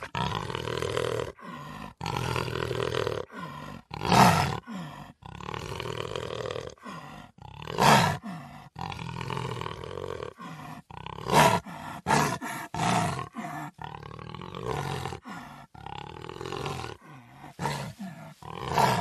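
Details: Puma calling repeatedly with coarse, throaty roars at irregular intervals, roughly seventeen a minute, several punctuated by sudden loud, harsh bursts.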